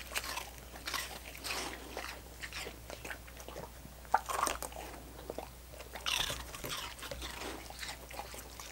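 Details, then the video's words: Dogs licking coconut water popsicles: wet, smacking licks and crunchy bites arrive in irregular bursts, with a louder cluster of slurps around the middle and a final burst near the end, over a faint low steady hum. "ASMR Dogs Licking Coconut Water Popsicles"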